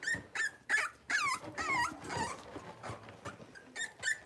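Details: Blenheim Cavalier King Charles Spaniel puppies, six weeks old, litter of five born to Paris and Spike, indoors in their pen; loud, high yelping whimpers in rapid bursts, some sliding down in pitch, tapering to softer squeaks.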